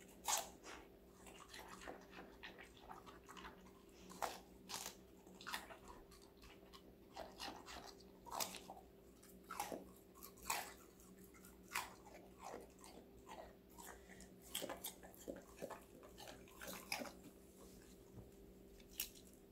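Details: A female Golden Retriever, five months old and named Connie, munches assorted vegetables indoors. Rapid, crisp crunches and snappy bites repeat almost continuously for twenty seconds over a faint, even background hum.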